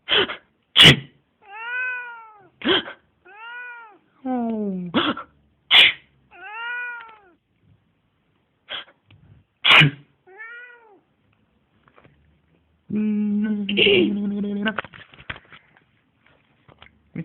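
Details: Pet cat that meows each time its owner inhales deeply or sneezes: sharp sneezes and breaths alternate with short arched meows, several in quick reply, ending in a longer drawn-out, wavering meow.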